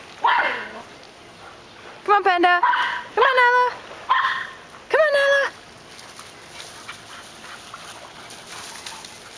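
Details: Three yard dogs, Panda a catahoula mix, Nala a rottweiler mix and Zeiss a weimaraner, chasing each other: a run of loud, harmonic barks and yelps in quick bursts, then quiet, with a person calling names nearby.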